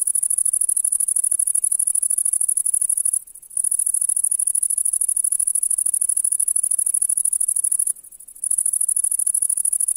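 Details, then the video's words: July meadow grasshopper in the grass producing a continuous shrill, finely pulsed high trill that stops twice for half a second before carrying on, with a quiet background. "Пение кузнечика в траве"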